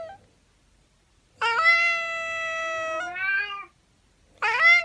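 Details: Meowing cats: one long, steady, drawn-out meow lasting over two seconds, ending in a lower wavering tail, followed by the start of another bright meow. The room is otherwise quiet.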